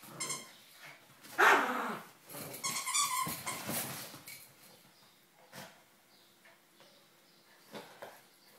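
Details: Spikey, a pet dog, plays indoors with his companion dog Mia: a loud burst of rough barking near the start, then a cluster of short yaps and growly squeals, fading to scattered soft noises.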